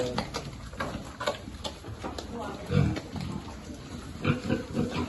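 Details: Piglet feeding on a farm gives short, deep grunts and oinks in irregular bursts, about every second or two, while a person talks nearby.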